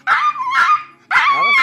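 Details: Shih Tzu puppy giving two short, high-pitched yelping barks with bright, wavering tones, each about a quarter to half a second long, separated by a brief pause.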